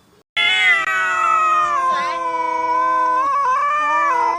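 A cat gives a long, drawn-out, wavering meow with a strong nasal tone.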